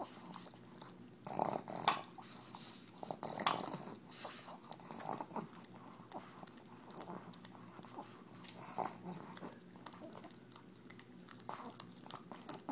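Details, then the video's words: Tumble, a pug, eats EZ Cheeze from her KONG toy with awful noises: loud snorting grunts early on, then irregular licking and smacking at a slower pace. "Pug Eating Noises"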